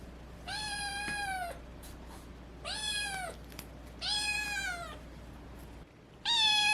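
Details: Young cat with a changing voice, cured of FIP, repeats long, bright meows about every one and a half seconds, each holding a level tone and dipping slightly at the end, four calls in all, indoors and quiet.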